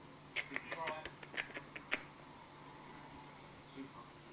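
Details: Indoor baby marmoset, Barce, feeding on milk: a quick run of about eight short, high, clicky squeaks in under two seconds, then quiet room noise and a faint soft note.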